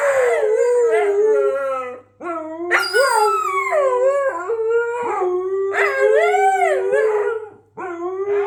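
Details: Siberian Huskies kept as pets howling when set off by their squeaky toy: overlapping wavering, sliding howls, some rising then falling, in several bursts with brief breaks, plus a faint high squeak.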